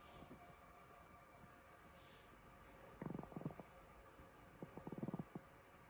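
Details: Chihuahua named Kohaku, asleep late at night, snoring hard: two rattling, buzzy snore bursts made of quick pulses, about three seconds apart, over a quiet indoor background.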